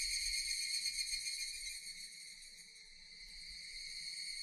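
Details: Japanese cicadas in a relaxing nature setting: a steady, dense, high-pitched shrill drone with fine rapid pulsing, fading slightly midway then swelling again, with faint low rumble beneath.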